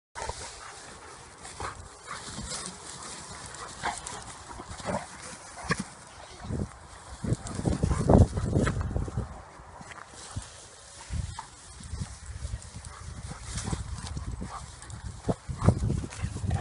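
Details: Fiete, a ten-month-old Labrador-Bernese Mountain Dog mix, romps with the dogs Gismo and Barnie: low rumbling growl-like bursts and scuffling, loudest around the middle, with a quieter bustle of play noise between.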